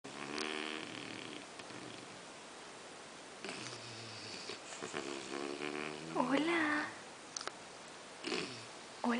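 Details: English Bulldog named Amy snoring while asleep beside a chihuahua called Nuguett indoors; harmonic nasal snores rise and fall over several breaths, with a brief human voice cutting in near the end.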